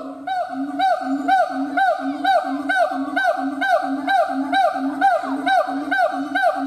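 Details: A siamang gibbon howls in a steady, fast series of short, upward-swooping hoots, about two each second, laid over a continuous droning tone.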